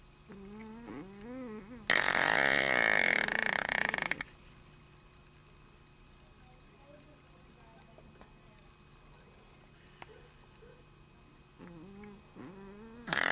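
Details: Jenni, a female Shih Tzu, snores while sleeping heavily: a loud, harsh, rasping two-second snore framed by softer whistling nasal tones that rise and fall before and after it.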